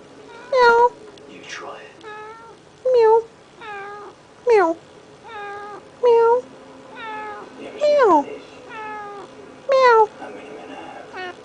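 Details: Male house cat meowing indoors while demanding to be petted, about eight short tonal meows with rising-falling pitch spaced roughly a second apart, with quieter murmuring between them.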